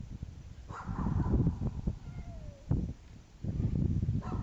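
A dog gives repeated short, gruff barks, asking to get close and sniff.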